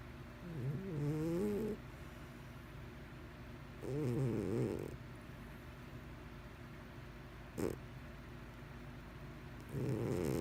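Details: Mr Whiskers, a pet cat, snoring: three loud, rattling snore breaths with wavering pitch, spaced about three seconds apart, with a quiet low hum between them.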